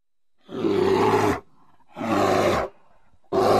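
A grizzly bear gives deep, harsh roars, each about a second long, three in quick succession with short pauses between.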